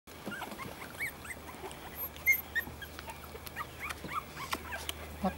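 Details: Three-week-old puppies outside, giving many short, high, rising squeaks and whimpers scattered through the clip, some overlapping, over a low steady hum.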